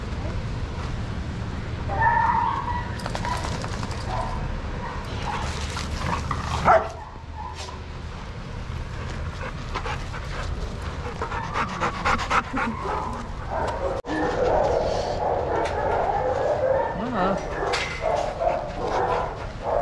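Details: Dogs at play in a shelter yard at Pima Animal Care Center, Arizona, supervised by handlers. Bursts of barking and yipping come and go, with a brief whine near the end and human voices in the background.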